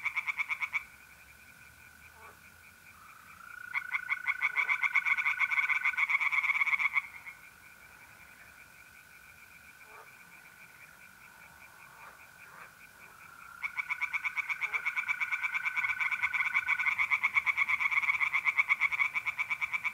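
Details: Singing tree frogs by night in a north-east Italian pond in mid-April: two long bouts of quick, harsh pulsed calls separated by a quiet stretch where the smooth, unbroken trill of mole crickets carries on.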